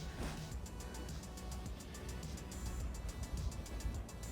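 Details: Rhythmic music with steady high ticking beats over a low rumble like a passing vehicle; no animal sound heard.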